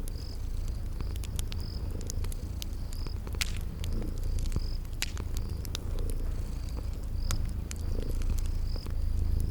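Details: Sleeping kitties give a constant low purr while a fireplace crackles and snaps and a cricket repeats short high chirps, set in a calm spring garden ambience.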